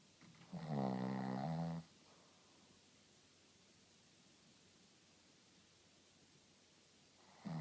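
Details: Rintaro, a Shih Tzu, snoring: one loud, harmonic, buzzy snore lasting about a second near the start, followed by quiet room tone and the onset of another breath at the end.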